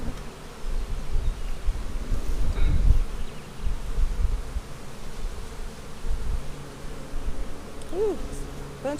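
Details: Honey bees in a split colony made March 4, opened for a hive inspection on April 15, 2017 with smoke in use: a steady low droning hum, with brief rising tones near the end and a few human voices.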